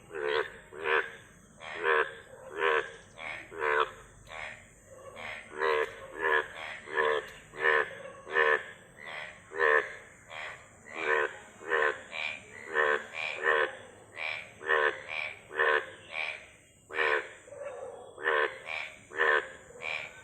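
Frogs croaking steadily, with harsh, pulsed calls repeating two or three times each second.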